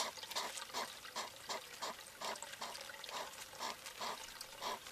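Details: European hedgehog (Erinaceus europaeus) male courting a female at a bird bath in Recke, Germany, 18 August 2021, snorts and huffs in quick breathy bursts, two or three a second; she seems uninterested and submits; faint rustling.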